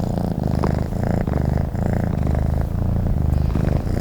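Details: Sleeping cat giving a steady, resonant purr, a low buzzy throb that pauses slightly between breaths roughly twice each second.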